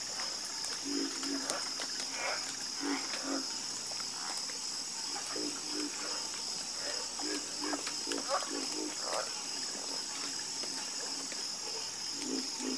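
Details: Chorus of frogs croaking: short, low, throaty croaks from several callers overlap in irregular bursts over a steady, high, shrill insect drone that runs throughout.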